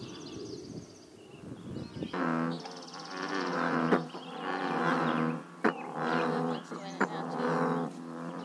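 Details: American bullfrogs croaking at a scenic pond in Northern California, giving deep, resonant, cow-like croaks in a slow series of drawn-out notes.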